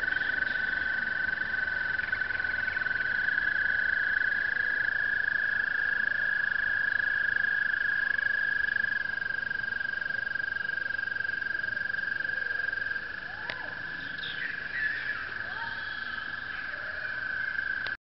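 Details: Toads giving breeding calls at Brookside Gardens: long, steady, high musical trills that overlap and carry on without pause.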